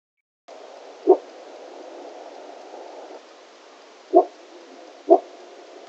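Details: A Shrimp Lake pack gray wolf in Yellowstone National Park gives a hesitant bark (woof) at people who walked into its view: three short, low, gruff barks, unevenly spaced, over a steady hiss.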